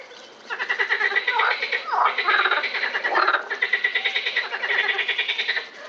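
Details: Frogs calling at the Botanical Garden in Lausanne on 20 April 2018: a dense chorus of rapid, rattling pulsed croaks that overlap continuously, several callers at once with fast beating trills.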